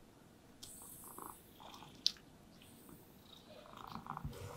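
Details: Content domestic cats resting in sunlight give a continuous low, throbbing purr while being brushed; short, scratchy brush sweeps and faint clicks sound over it at intervals.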